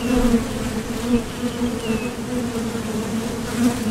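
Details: Honeybees at the entrance of a Top Bar Hive, leaving for and landing from nectar foraging: a steady, dense hum around a low drone with a strong overtone, swelling slightly as individual bees pass, with a faint high chirp midway.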